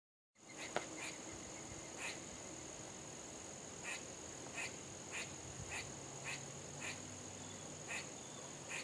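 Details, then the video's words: Squirrel barking: short, sharp, faint calls repeated about every half second in an even series, with a steady high electronic whine throughout. "Barking squirrels"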